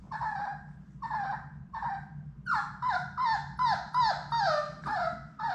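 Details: Six Labrador Retriever puppies, Sadie's litter, at play indoors in a puppy room; repeated high whining whimpers, each falling in pitch, coming roughly every half second and growing louder, over a steady low background hum.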